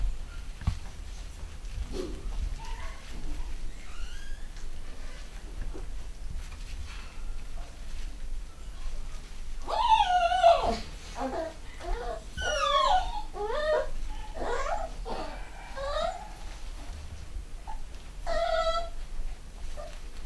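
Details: Young 3/4 Schnauzer puppies from a home-bred UK litter, 2015, mostly quiet at first, then a burst of loud, wavering, high-pitched yelps and whines in the middle, easing to scattered squeaks toward the end.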